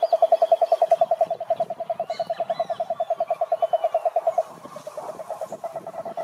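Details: Clear toad croaking: a quick, evenly pulsed rattle of about eight beats a second that softens after four seconds, with faint bird whistles in the background.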